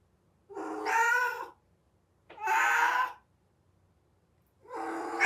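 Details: Cat in heat crying out: three drawn-out, strained, harmonic yowls about a second each, spaced roughly two seconds apart, in a quiet setting.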